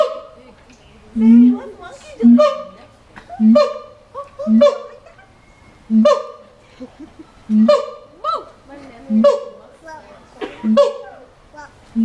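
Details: A monkey in a cage at the LA Zoo gives a steady series of hoarse, honking calls, roughly one each second.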